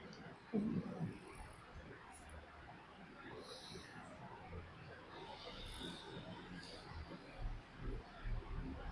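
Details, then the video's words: Pet dog snoring while asleep, a low, rough rasping breath in slow repeated cycles over steady broadband hiss, with a sharp snort near the start and louder snores swelling toward the end. "My dog snoring like he works 9-5 to pay the bills"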